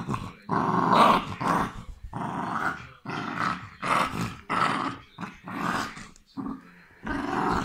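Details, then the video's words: Continuous rough growling by a West Highland White Terrier, broken into many pulsing, gravelly bursts roughly every half second, intensity swelling and fading, heard close up indoors. "the devil's voice of West Highland White Terrier"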